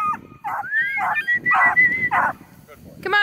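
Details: Pumpernickel, a small female Beagle, tries to scare off Rusty the coonhound near Kingston, Ontario; a rising whine glides upward between sharp barks, then a final yelp, over low background murmur.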